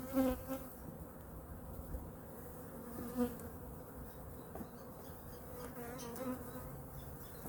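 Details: Winter weekly checkup of a honey bee colony, hive #2, with food reserves checked: a low, even hum runs throughout, with short louder buzzing passes near the start and again about three seconds in, over soft handling noise.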